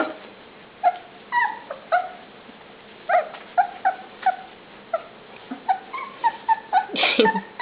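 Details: Dinnertime puppies, among them Ash and Clover, whine in short, thin, downward-bending notes spaced a second or so apart at first, then bunching closer together, ending in a brief louder, harsher burst.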